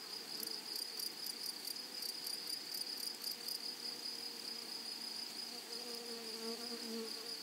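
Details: Meadow grasshoppers make a sustained high buzz. Over the first half come rapid, evenly spaced scratchy pulses, about three per second, that stop midway. Faint lower tones sound toward the end.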